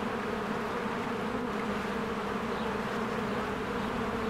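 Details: Busy springtime beehive with bees streaming in and out; an unbroken, even buzz of many wings with a rich low drone and no other sounds standing out.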